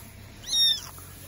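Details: A single piercing, high-pitched meow rising then falling from an abandoned baby kitten found in the grass by a dog shelter during rain, with quiet background hum before and after.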